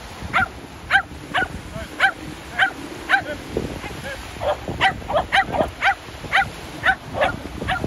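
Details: Shetland Sheepdog at the seaside during a ball game with an air-shooter launcher. It gives short, sharp barks about twice a second in an uneven series over a low rumble of surf and wind.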